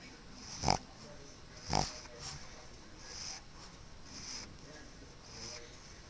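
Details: Pug snoring quite loudly while asleep: two strong broad snorts about a second apart, then softer rasping breaths roughly once a second.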